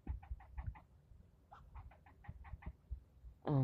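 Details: Squirrel yelling at the person filming, in a scolding bout lasting nearly ten minutes: two runs of rapid, evenly spaced harsh barks, then a sudden loud rumbling thump to close.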